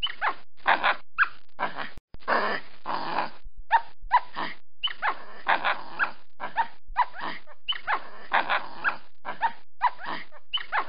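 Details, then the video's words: Capuchin monkey, a small monkey recorded in a tree, giving a dense run of short, harsh, squeaky chirps with rising sweeps, packed in quick bursts with one brief cut to silence near the two-second mark. "Sonido de mono capuchino Monkey cappuccino"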